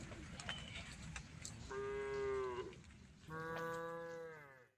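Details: Domestic female cow eating grass leaves calls out to her herd: two drawn-out, harmonic-rich moos, the first about a second long and slightly falling, the second longer and steadier after a short pause, over rustling and scattered clicks.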